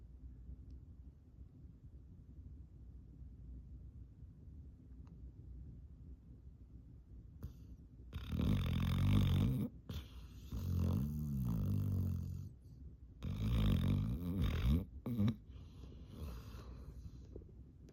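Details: Yellow Labrador Retriever in a deep sleep, tongue hanging out, snoring extremely loud; after several quiet seconds, three long, rasping, low snores with wavering buzzy tones, each lasting one to two seconds, separated by short pauses.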